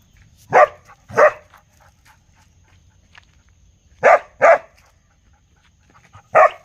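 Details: Real dog barking: two sharp barks in quick succession, a pause of nearly three seconds, then another close pair and a final single bark, against a quiet background with a faint low hum.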